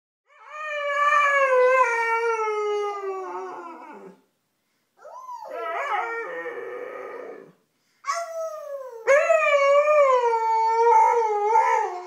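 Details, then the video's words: Siberian Husky pet singing: long harmonic howls sliding slowly downward, one drawn-out phrase of about four seconds, a shorter wavering one, then a rising and falling woo-woo howl. "Huskies Singing 🎤 | Husky Singing & Talking"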